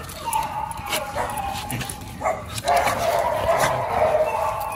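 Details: Two dogs, Oli and Nomy, just home from a dog hotel and about to eat a raw meal: excited high whines and yips, a steady whine near the end, with faint background music.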